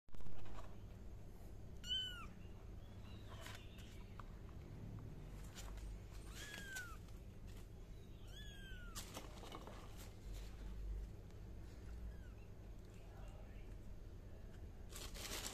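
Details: Kitten giving three short, high, rising-then-falling meows spaced a few seconds apart, over a steady low hum and a few soft clicks.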